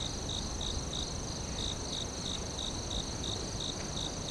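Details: Crickets in a forest giving short, high, evenly spaced chirps about three per second, over a steady high insect hiss and a low background rumble.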